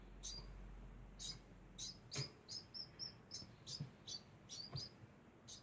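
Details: Degu making a constant sound: short, high squeaky chirps repeated about every half second, sharp and evenly spaced, with a faint low hum underneath.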